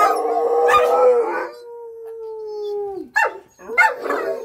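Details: A Rottweiler, howling together with a German Shepherd and a McNab dog at an ambulance siren, gives a long, steady, mournful howl that sags in pitch at the end; they howl at any disturbance around the house.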